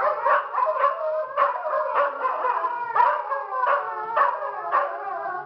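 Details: Group howl by a pack of dogs at Toca do Bilbo, each staking its place in the pack: continuous layered wailing voices that swell and dip about twice a second, with no other sounds.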